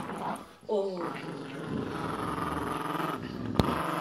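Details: A boxer and a Jack Russell terrier in a tug of war over a penguin toy: a short rising whine, then a steady low rumbling growl, with a person talking over it.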